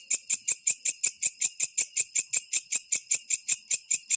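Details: Small green katydid at night making a ringing, jingling call: regular sharp high pulses repeated roughly every 0.4 seconds throughout, steady and metallic.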